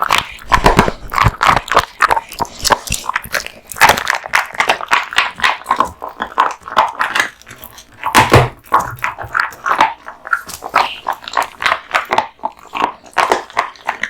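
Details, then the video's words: Kotetsu, a male American Bully kept as a pet, gnawing raw meat and bones inside a small room: continuous crunching and tearing bites, a few heavier thumping crunches, chewing almost without pause. "大食い犬ASMR】デカ盛り生肉ランチを豪快に食べまくる愛犬の飯テロ動画MUKBANG Dog eats raw meat bones"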